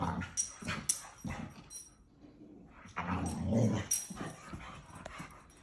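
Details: A male boxer dog at play gives short, rough vocal bursts. A louder, sustained growly stretch follows a brief quiet gap midway, with sharp high clicks and knocks scattered throughout.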